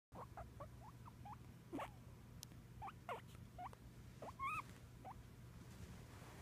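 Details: ['Pet guinea pig being talkative: soft, short, rising squeaks, about a dozen scattered over six seconds, with a steady low hum underneath.']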